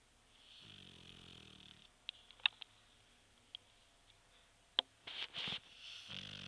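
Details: Clive, a Shar Pei, snoring while asleep: a low, buzzy, rattling inhalation of about a second, then quiet with scattered clicks and rustles, and a second rough snore starting near the end.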